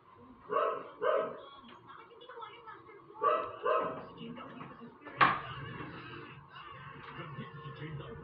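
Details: A dog barking without stopping lets out two pairs of sharp, loud barks, each pair about half a second apart, followed by a sudden click and muffled background sounds.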